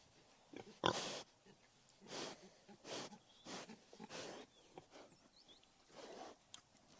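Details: Wild boar making breathy, noisy grunts and snorts, each about half a second long and spaced roughly a second apart, with a sharp knock near the start and faint high chirps in the background.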